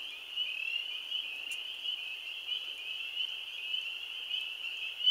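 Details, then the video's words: The first spring peeper chorus of the year, 15 April 2013: a dense mass of high piercing peeps blending into one steady, shrill ringing. "spring peepers"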